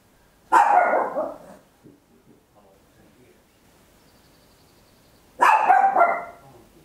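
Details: A small Papillon dog barking very loudly indoors at home, captured on a handheld stereo recorder: two sharp, harsh, broadband barks about five seconds apart, each fading quickly, with near silence and a faint steady high tone between them.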